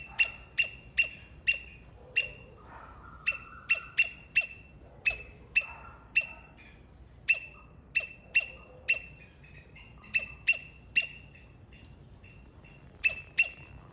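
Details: A Sri Lankan palm squirrel gives a long series of piercing high chips, irregularly spaced, sometimes in quick pairs, with short gaps between bursts; faint softer background chatter underneath.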